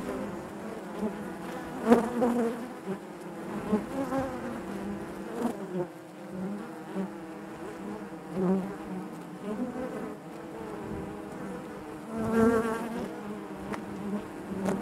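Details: Many honey bees humming inside the hive, a low constant buzz with shifting tones as individuals fly near, louder surges around 2, 4, 8.5 and 12.5 seconds, otherwise an even drone.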